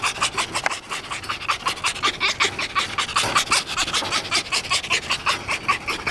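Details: Excited tame fox greeting its keeper: a steady train of quick, hissing, breathy pants, about five per second, even and rhythmic throughout.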